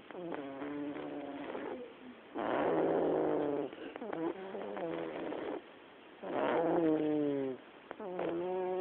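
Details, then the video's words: In a living room, a black pet cat snores steadily: raspy, droning breaths alternating between softer and louder pulses, with roughly five breaths over nine seconds. "Gato roncando"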